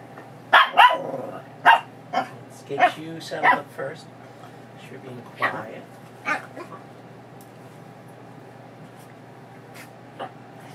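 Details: Excited female Chihuahua mix foster dog, recovering from knee surgery, making funny sounds while being leashed for a walk: a cluster of sharp barks and yelps early on, fading to sparse yips, with a woman talking over them.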